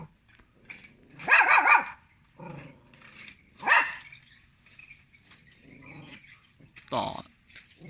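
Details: Small pet dog barking at people, giving three loud, harsh barks spaced a few seconds apart, the first a quick double burst, amid indoor human speech.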